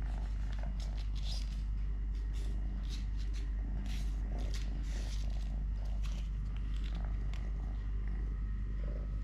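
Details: Totoshka, a three-legged domestic cat, purring while eating, playing, walking or play-fighting with a hand; a steady low rumbling purr runs throughout, with scattered soft clicks and rustles above.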